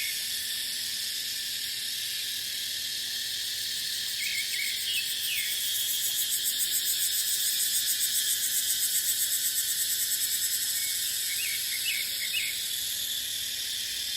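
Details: Cicada chorus in dry dipterocarp woodland in the dry season: a steady shrill drone, with a pulsing, throbbing rhythm swelling in the middle and a few brief soft chirps scattered through it.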